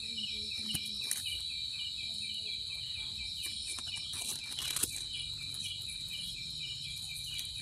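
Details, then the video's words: Steady high cricket trilling carries on throughout, broken by scattered sharp clicks and taps and a brief louder rustle near the end. "Cricket sound effect(cricket sound)"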